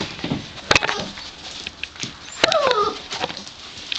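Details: Gordon Setter puppies aged five weeks: amid soft shuffling and clicks, one clear drawn-out whine slides downward in pitch halfway through, followed by fainter squeaks and rustling.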